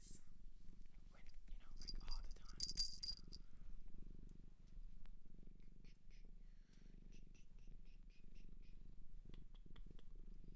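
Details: Low, steady purring from a cat adopted from a shelter in Japan, recorded close up indoors, with soft rustling and faint handling noises above the continuous rumble.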